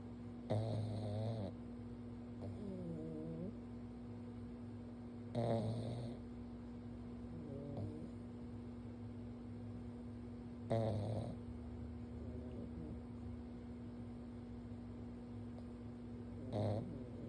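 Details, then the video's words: A pug sleeping on its back while being gently petted on the forehead snores: loud rasping snorts about every five seconds, with softer wheezy breaths between them, over a steady low hum. "Stanley’s Snoring"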